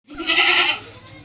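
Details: Goat kept by a goat trader in Mettur, where reared kids and goats are offered: one short, harmonic, nasal bleat under a second long, then quiet background.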